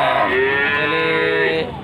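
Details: Cattle at the Panggul market in Trenggalek, Indonesia: a short, steady, rich-toned bellow holding level for under two seconds, then fading, with faint market noise.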